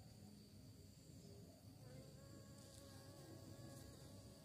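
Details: Bee searching for prey, giving a faint, wavering buzzing hum that drifts up and down in pitch from about two seconds on, over a steady low background rumble.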